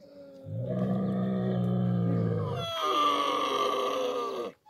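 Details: Camel during hand milking: a deep, rumbling grunt held for about two seconds, then a higher, harmonic moaning bellow that continues steadily before cutting off abruptly.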